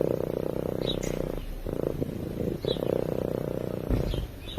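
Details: Steady, fast-pulsing rumble of a cat purring as it sleeps. The dense low vibration breaks only briefly for breaths, and a few faint chirps sit high above it.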